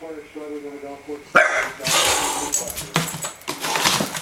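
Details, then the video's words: Scarlett, a pet bulldog wanting to play with a cat that will not join in, gives high wavering whines that climb into a sharp outburst, followed by noisy scuffling and voices indoors. "Bulldog & Cat Face Off"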